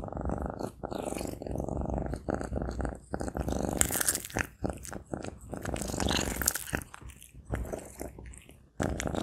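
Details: Maine Coon cat chewing sausage up close: a deep, constant purring rumble mixed with bursts of crunchy, smacking bites that come in uneven clusters, with several short pauses between mouthfuls.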